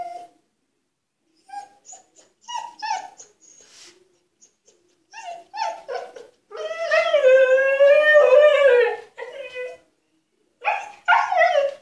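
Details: Husky Altezza, a female kept in an enclosure as punishment, demanding to be let out: short whines and yelps in broken bursts, then a long wavering, rising-and-falling howl-like whine, and more clipped whimpers at the end.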